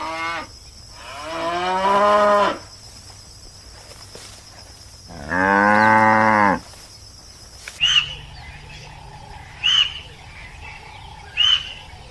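A cow gives two long, drawn-out moos, rich and nasal, followed by short higher chirps.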